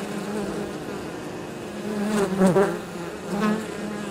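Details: Foraging honey bees coming back to their hive with pollen and nectar on an unusually warm 23 October; a steady humming buzz that swells twice as individual bees fly close past.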